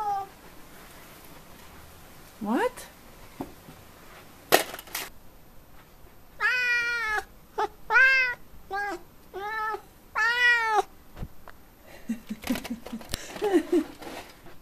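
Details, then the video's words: Indoors, Niko the F6 Savannah cat makes a quick burst of arching, harmonic meows, six in close succession, after a few softer sounds, then quieter chirping calls, while a woman speaks to the cat. "Super cute Cat Noises"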